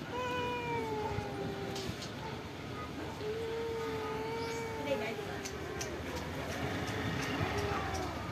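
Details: Cats who live in a pagoda, fed rice and fish, produce drawn-out wavering meows, one long falling call then a second long level-to-falling one, amid a soft hiss and light tapping.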